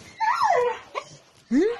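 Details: Two high whines from a dog: one arching up then sliding down, a short pause, then one rising sharply. Bulgarian voices are heard nearby asking where the food is.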